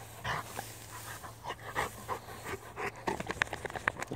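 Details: Rottweiler on a daily walk in a field, sniffing around a cow pat. Quick, breathy panting puffs repeat irregularly, with rustling and handling noise around them.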